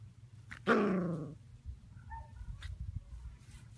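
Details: Golden Retriever gives one short harmonic bark-whine that falls in pitch over about half a second, followed by faint background noise and quiet household sounds.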